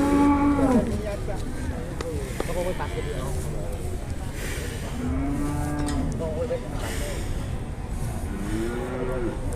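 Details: Jumbo cattle at an Indonesian livestock market amid bargaining: several short, low moos of under a second each, at the start, around five seconds and near the end, over steady crowd murmur and background noise.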